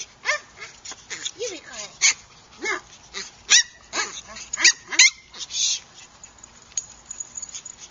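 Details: Sabled fawn Chihuahua puppy with white markings, registered with the AKC and named Texas, giving short, high, squeaky yips and whimpers in quick irregular bursts, with people talking nearby.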